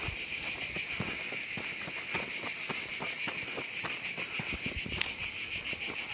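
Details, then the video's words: Cicada song in the Gorges du Gardon, Gard, in the French south: an intense, even, sizzling drone with faint pulsing, carried over soft footfalls and occasional knocks from walking. "je continue. Je parle plus, je vous laisse écouter la nature et les cigales."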